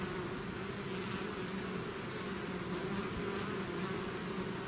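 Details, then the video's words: Bees swarming out of their hive give an unbroken buzzing drone, thick and even with a low humming core, no pauses, no other sounds. "bees therapy swarm natural buzzing sound"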